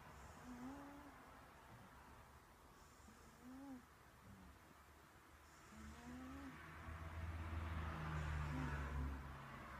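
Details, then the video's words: Snoring cat: low, rough breathing rumbles repeat about every two and a half to three seconds, with faint whistling squeaks on some breaths over a steady low hum. "Snoring cat"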